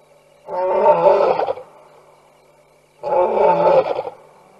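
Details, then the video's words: Night roars of lions visiting the Tembe Elephant Park waterhole, recorded on a fixed cam in September 2022; a pair of loud, throaty roars, each lasting about a second and a half, separated by a quiet gap. "4 Lions ~ Nightime Roars"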